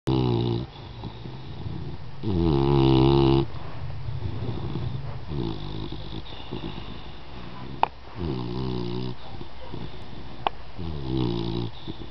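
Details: Dog in deep sleep indoors, snoring loudly: harmonic, rumbling snores repeated about every second and a half, with a few sharp clicks between breaths.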